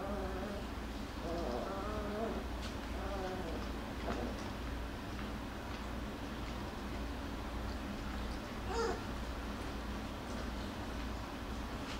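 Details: Jackabee (Beagle Jack Russell cross) puppies, Miss Sansa's litter, playing and wrestling indoors; high, wavering whimpers in the first three seconds, then quieter shuffling and a brief sharp yelp near nine seconds.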